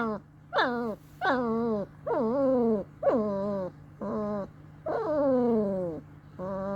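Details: Two-week-old long-coat German Shepherd Dog puppies grunting and whining in a steady run of about eight drawn-out, downward-sliding nasal calls, roughly one each second, over a constant low electrical hum.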